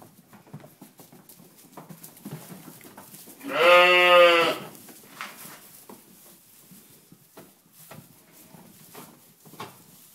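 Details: Ryeland lambs with one loud, tremulous bleat lasting about a second midway, rich in stacked harmonics, surrounded by quiet clicks, rustles and movement noises.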